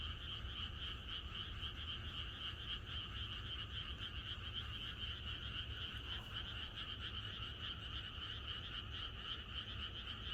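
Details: Many frogs croaking together in the countryside on a night before rain; a rapid, throbbing, continuous chorus in mid and high pitches, even in volume, with soft low background hum.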